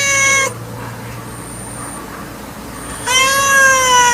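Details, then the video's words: Cat cry cut off after half a second, a long stretch of low noise with a faint high tone, then another sustained harmonic meow rising in at the end. "Cat Voice Ringtone 2020 || Kitten Voice Ringtone 2021"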